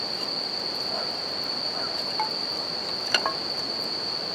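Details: Unbroken high, bell-like buzzing of bell crickets by a campfire next to a river; water noise fills the background and one sharp crackle from the burning wood stands out near the end.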